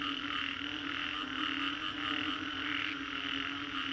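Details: Frogs calling after a storm in Green Corridor, Singapore: a dense, continuous chorus of overlapping croaks and trills with bright pulsing bands, plus a steady low drone, blending into an unbroken wall of sound.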